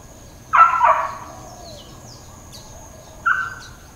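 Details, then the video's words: Dog barking in Hawaiian Paradise Park, Hawaii, on Labor Day, September 2, 2024, amid uncontrolled intermittent neighbourhood barking: a quick double bark, then one shorter bark about three seconds later, over faint bird chirps and a steady high hum. "The McDawgs - Barkpalooza"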